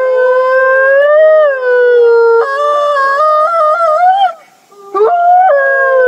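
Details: Gray wolves howling in chorus at the Wolf Conservation Center, South Salem, New York, captive pack: long even tones that rise and fall, several voices layered and stepping between pitches, a brief lull near the end before the howls resume.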